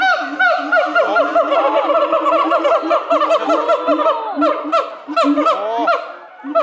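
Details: Siamangs at a zoo in Chiba, Japan, in May, with three animals singing to each other in the morning: loud overlapping hooting song of rapid rising and falling whoops and booming notes, densely layered and continuous.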